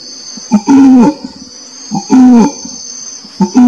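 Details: Orangutan calling in short, low, rich-toned bursts that start higher and sag downward, three in a row roughly every second and a half, with a constant shrill buzzing band behind them.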